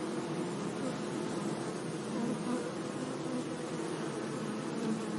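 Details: Bees buzzing among flowers in a sunny meadow: a low, steady hum with wavering tones under a broad hiss of outdoor noise.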